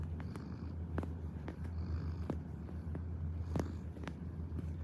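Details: Kneading house cat gives a continuous low, even purr, a soft droning rumble with occasional faint ticks and rustling sounds overlaid.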